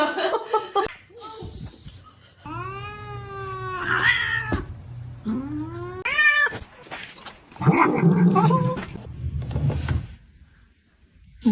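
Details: Domestic cats in a compilation of funny cat moments: long drawn-out harmonic meows and wails that rise and bend, broken by short yowls and a burst of scuffling, indoors with a low steady hum beneath.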